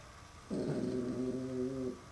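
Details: Puppy Max, seeing a mirror for the first time, lets out one drawn-out, tonal whining growl of about one and a half seconds with a steady pitch and a slight waver, indoors.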